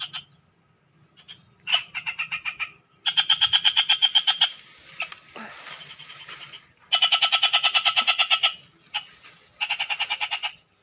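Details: Frogs calling from a canal: long trains of fast, evenly spaced clicking pulses at a high pitch, several bursts of one to two seconds separated by quieter gaps, with faint background murmur.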